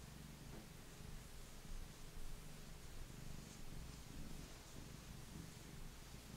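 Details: Affectionate male Maine Coon, a mellow lap cat, purring while stroked indoors; a low continuous rumble partly blurred by broad hiss and soft rustle.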